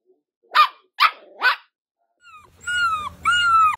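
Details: Dachshund letting out three sharp barks about half a second apart, then switching to two drawn-out, tonal, howling wails with a low hum beneath.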